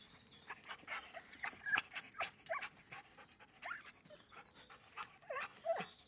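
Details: Belgian Malinois voicing a rapid, restless run of short yelps, high whines and sharp barks, bursts coming several times a second with brief gaps, some whines sliding up and down in pitch.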